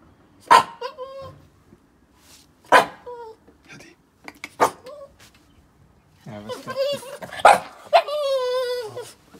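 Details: Boston Terrier Yoda, worked up and eager to play, gives spaced barks with whining tails, then breaks into a rapid cluster of yelps ending in a long, wavering whine.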